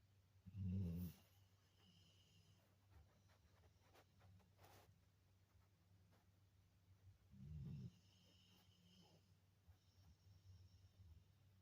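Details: Labrador Retriever snoring while asleep: two deep, low rumbling snores about seven seconds apart, each lasting under a second, over a steady low hum and faint breathing.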